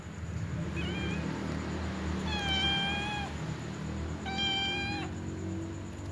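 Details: Small cats begging around a ginger cat eating a meatball, trying to snatch it; three meows, a short one followed by two longer, flat, even-pitched cries about two seconds apart, with low background hum.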